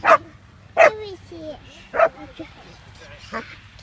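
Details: German Shepherd puppy, a female about 6.5 months old, doing bitework foundation training, showing strong drive. Four short, loud, harsh barks come at irregular intervals over about four seconds, with a person's voice talking quietly in between.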